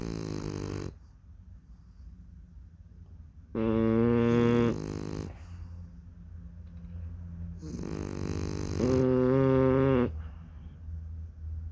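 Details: Sleeping French Bulldog puppies snoring indoors in a small room: low rumbling breaths alternate with louder, harmonic nasal snores around four and nine seconds, each lasting about a second, with quieter wheezy breathing between.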